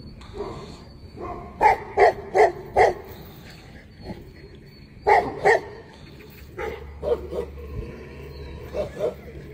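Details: Tibetan Mastiff barking in quick bursts: four deep barks in a row, a pause, then another group of three or four, followed by softer, spaced barks over a low background hum.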